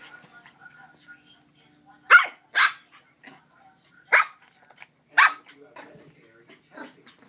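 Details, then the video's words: Excited female Shih-Poo puppy, 11 weeks old, in the morning; four short, sharp yapping barks come in two pairs about two seconds apart, over faint household noise. "A Very Excited Chrissy - Female ShihPoo Puppy at 11 Weeks Old"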